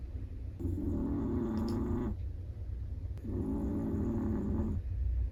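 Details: Chihuahua snoring in its sleep: two sustained raspy snores lasting about a second and a half each, with a brief silent gap between them, and a low steady hum underneath.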